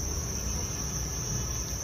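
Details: Farmed Thai crickets at a breeding farm in Vietnam, many insects calling together in a steady, unbroken high-pitched chirring drone with a low rumble of background noise beneath.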